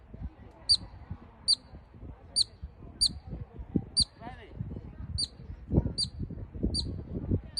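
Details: A marmot gives short, sharp, high, urgent whistles, repeated about once every second, with voices low behind, calling until it tires and leaves.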